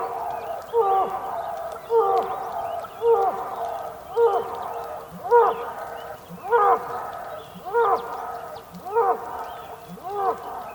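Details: Bull on a rainy day on the Patagonian plain, Tierra del Fuego, Argentina, giving a steady series of short harmonic grunting calls with falling tails, about one every second and a quarter, nine in all, faint birds behind.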